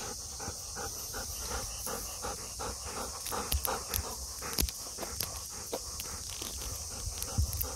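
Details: Golden Retriever heading home from a hot summer walk, getting happier near the room: quick, even panting breaths, several per second, with a continuous high hiss in the background and scattered sharp clicks.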